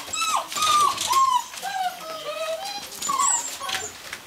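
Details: Gordon Setter indoors making thin, wavering whimpers and whines, sliding up and down, with a short pause midway.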